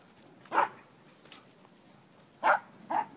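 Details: Dogs playing together, one of them Dobi, four months old: three short, sharp yelping barks, one alone and then a quick pair, with quiet between.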